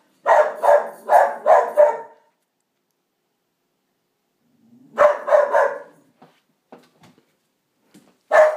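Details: Pet Pharaoh Hound barking at the neighbours: a run of four sharp, loud barks, a pause of nearly three seconds, then another quick burst of three with soft huffs and clicks, and a final bark at the end, indoors.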